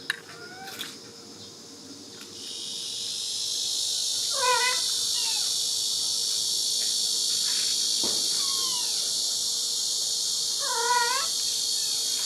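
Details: Kitten and its mother cat living at a countryside house in Dorae Village, wandering in during filming; two drawn-out, wavering harmonic meows about six seconds apart over a steady high insect chorus, with a few faint clicks and knocks.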